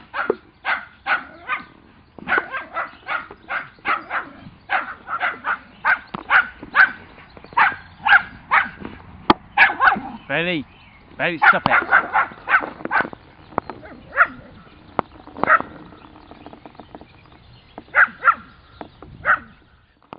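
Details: A little schnauzer named Bailey barking in rapid, sharp bursts, roughly two per second, in repeated runs across the recording, with a brief higher whine-like yelp in the middle and short pauses between runs.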